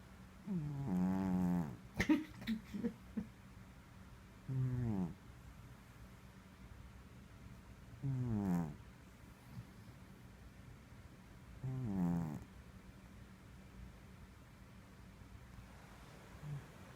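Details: Male pet cat snoring; slow, rough, low buzzy snores recur about every three to four seconds, each a drawn-out breath, with a soft steady hiss between them and a faint final snore near the end.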